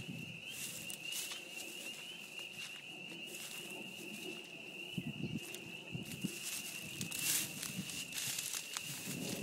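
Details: Loud spring peeper chorus at a beaver pond in spring, a continuous high piping drone of overlapping peeps, broken by scattered clicks, rustles and short bursts of broadband noise.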